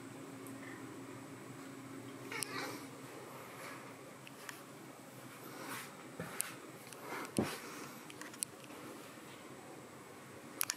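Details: Two teenage cats greet their owner indoors on getting up each day; a soft, drawn-out, low meow with faint harmonics opens the clip, followed by scattered clicks and small household knocks in a quiet room.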